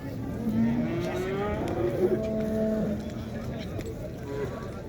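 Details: Cattle at the Şarkışla livestock market in Turkey on 20 January 2024 give drawn-out, low, rising moos, several overlapping, amid steady crowd chatter and market noise.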